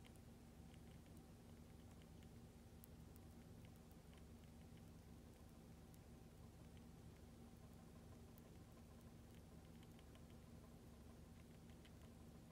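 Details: Pet hamster Mini Goro eagerly eating Lactobite lactic acid bacteria paste: faint, rapid clicking and wet ticking bites scattered irregularly throughout, over a steady low electrical hum in a quiet room.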